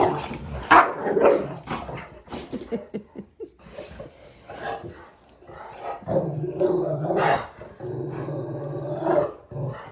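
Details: Zuko the Rottweiler playing with another dog, Cinder: scuffling and rough snorts early on, then long, low, rumbling growls with a throaty harmonic buzz carrying through the second half.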